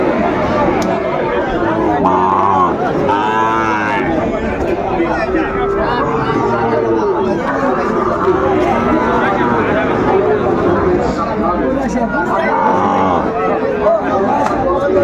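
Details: Market cattle, including Shahiwal and Friesian bull calves, in Kushtia, Bangladesh, on 6 May 2024; overlapping moaning moos come one after another amid loud continuous crowd talk and price bargaining.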